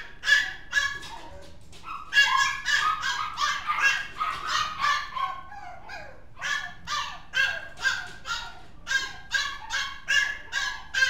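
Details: High-pitched, rapid barking from a mixed-breed dog: a brief opening yip, a pause, then long runs of sharp yaps at roughly two per second with uneven spacing, some louder than others.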